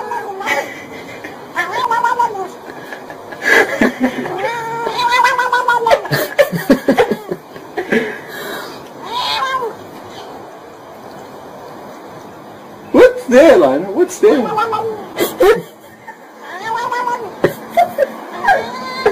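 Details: Cats in a funny pet compilation; several drawn-out, wavering meows and yowls in the first half, then louder rising-falling cries after a quiet stretch, with human laughter and speech mixed in.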